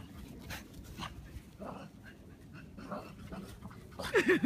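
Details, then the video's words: Shih Tzu at play during a chase: soft, breathy panting throughout, then a sharp, wavering high whine bursting out near the end over a noisy indoor background. "[shih tzu] doggie chasing 兩毛玩追追"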